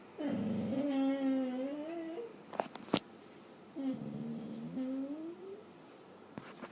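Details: A dog dreaming in its sleep makes soft, drawn-out whimpering moans with harmonic tones, two long wavering cries of about two seconds each separated by brief clicks, in a quiet indoor room.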